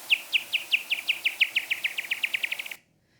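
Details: A pipistrelle bat's echolocation calls, rendered audible, form a run of quick downward sweeps. The calls speed up as the bat closes on an insect and end in a raspberry-like buzz as it catches it.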